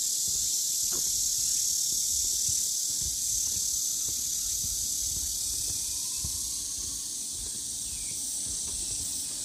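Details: Continuous shrill cicada drone in a Namwon, Korea, hillside forest on the Deogeumsan Solbaram-gil trail, 16 August 2019, easing slightly in volume; a faint bird whistle and walking sounds underneath.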